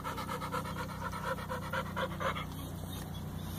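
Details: Older male American Staffordshire Terrier kept with other dogs at a kennel, panting rapidly and rhythmically at about four breaths a second, each breath a short breathy pulse, over a steady low hum.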